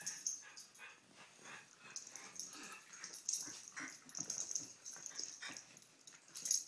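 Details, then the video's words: Dogs Poppie and Nellie romping in play, giving a continuous stream of wheezy snorts, rapid panting and scattered short whiny yips that rise and fall in loudness across the scene. "Dogs at Play"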